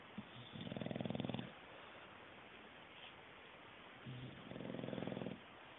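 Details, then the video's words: Sleeping English bulldog gives two drawn-out, buzzy snores about four seconds apart, each a rough, pulsing low rumble lasting roughly a second, with soft hiss and quiet breathing in the gaps. "Knocked Out English Bulldog... snoring"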